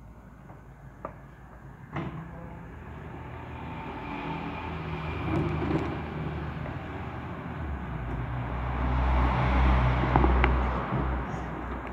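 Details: A deep vehicle or train rumble builds steadily, with a few knocks and a faint voice, and no animal sound.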